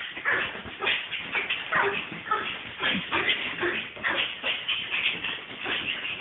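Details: Laila, a female pet Brussels Griffon, excited during play and exercise: a continuous run of yips, whimpers and grunting noises, rising and falling in bursts, with people talking over her throughout.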